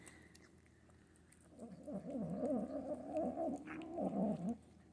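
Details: Female Manx kitten growling while being fed, guarding her food: a low, wavering, harmonic rumble that undulates up and down for about three seconds, with faint eating sounds before it starts.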